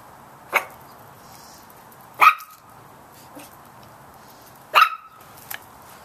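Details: Little chihuahua puppies barking at a big cat: sharp, high yappy barks with a few seconds of quiet between them, five bursts in all, the third and fifth loudest.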